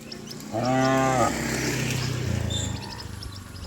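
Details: Village cattle racing downhill across green grass; a single short, rich moo near the start, then low trampling and rumbling noise with faint high chirps.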